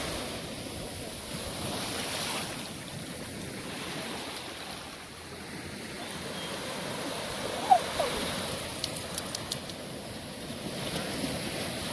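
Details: Ocean surf and steady wind noise fill a beach scene, with a few faint clicks and brief knocks late on; no animal voices are heard.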